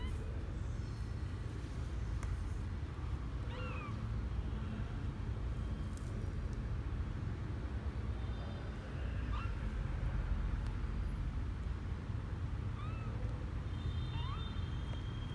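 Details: Misoka, a male kitten twelve days old, on his first adventure out of the box on January 12, 2020; soft, high, short rising mews scattered every few seconds over a steady low indoor rumble.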